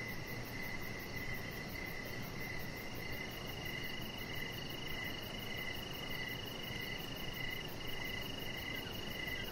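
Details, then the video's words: Outdoor evening chorus of crickets by a deck: steady pulsed chirps about every half second layered over a faint constant high-pitched trill and thick, uniform background hiss. "Chihuahua Puppy Laying On Deck with Cricket Sounds"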